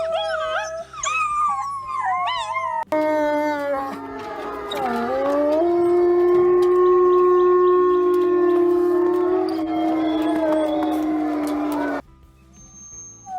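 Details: Wild wolves howling, a sound used for long-distance contact with the pack, territory marking and expressing emotion. Quick wavering overlapping yelps open, then a long, steady, low howl holds for about nine seconds before stopping abruptly. A faint low droning bed underneath.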